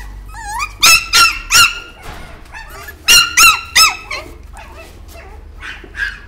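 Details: Chihuahua barking in two quick bursts of three shrill, squeaky yaps, each bark sharp and ringing, with softer whining notes in between and a final faint yap near the end.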